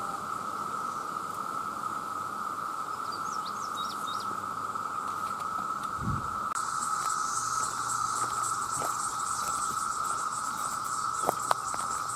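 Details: Male cicadas by the millions calling for mates hold a steady mid-pitched drone for twelve seconds, with faint bird chirps early on, then a louder hiss and scattered clicks from about halfway.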